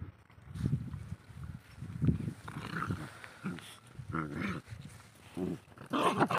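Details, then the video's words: Mother Desi dog and her puppy fighting aggressively: low rumbling growls come in repeated bursts about every second or so, joined by higher snarls and a brief yelp near the end. "Desi dog puppy VS Desi dog mom💙 Fanny fight video agressive mom and very nice puppy agressive puppy"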